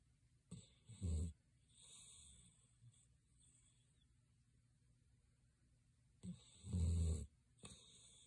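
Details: Sleeping Greater Swiss Mountain Dog snoring: two deep, rasping low snores about six seconds apart, each with a soft intake before it, and near silence in between.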